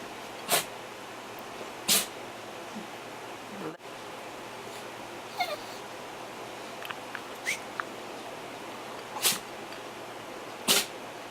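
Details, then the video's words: Pet dog sleeping in the sun while being roused by its owner, giving four short, sharp, explosive sneezes at irregular intervals, with faint soft snuffles between them in a quiet indoor setting. "Henry Sneezes!"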